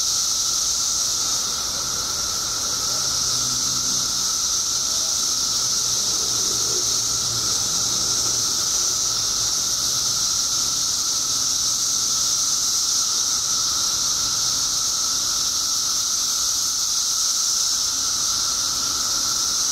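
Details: Billions of periodical cicadas, out after 17 years underground in Illinois, roar in a seamless high-pitched buzzing blanket with a persistent middle whine, faint low hums drifting in briefly early on.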